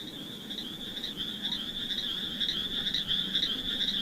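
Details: Frogs calling among mossy wet rocks, with snails nearby: a dense, continuous high trilling chorus that wavers slightly in pitch and pulses rapidly without pause, plus a faint lower hum underneath.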